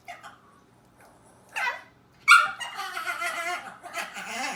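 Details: Pet dog making weird screaming noises while in his cage indoors: a short sharp yelp, then a loud harsh scream with wavering harmonics that rises and falls over the last two seconds.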